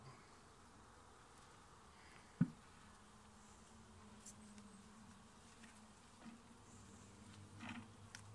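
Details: Honey bees at a residential beekeeping site in Nova Scotia while hive frames are handled: a low, steady droning hum runs throughout, with a sharp knock near the start and faint clicks and rustles.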